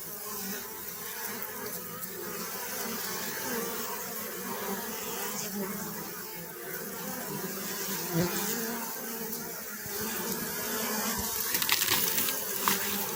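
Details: Honey bee buzzing as a thick continuous hum with faint wavering, some scattered clicks and a few sharper knocks near the end over the steady drone.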